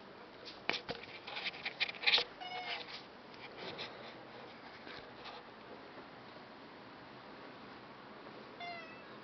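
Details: A domestic cat meows: short harmonic mews cluster in the first three seconds among sharp clicks and rustling, then the sound fades to quiet before one last brief meow near the end.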